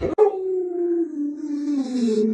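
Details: Lolo, a household Alaskan Malamute, answers with one sustained, mournful woo lasting over two seconds, holding a steady pitch before slowly sliding down, with a soft airy hiss in the background near the end.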